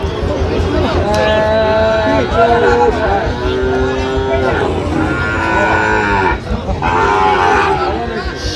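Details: Sahiwal bull calves for sale at a Brahmanbaria market, Bangladesh, 19 December 2025: a run of long, level moos with clear harmonic bands, calling back to back over constant chatter of buyers and sellers.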